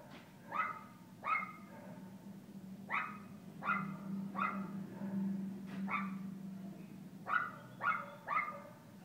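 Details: Kooper, an Alaskan Klee Kai puppy, playing at Paws Pet Resorts Lake Forest doggy day care: about eleven short, sharp barks come in uneven bursts, some paired closely, over a steady low mechanical hum.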